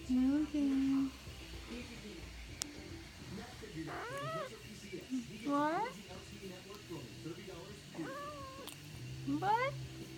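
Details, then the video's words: Sleepy tabby kitten being woken and teased indoors, giving repeated short rising-falling arched meows and chirrups, about one every one to two seconds, mixed with soft trilled murmurs, with a person's quiet voice in the background. "Cutest Tabby Kitten Making Cute Sounds"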